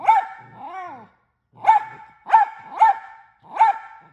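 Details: Loud pet mini Australian Shepherd: a bark, then a drawn-out arching whine like talking, a short silence, and four more sharp barks in quick succession.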